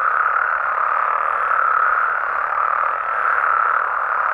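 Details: Frogs and toads at night in Mexico fill the air with a steady, droning mass of overlapping croaks, even in loudness throughout, with only a couple of faint high sweeps.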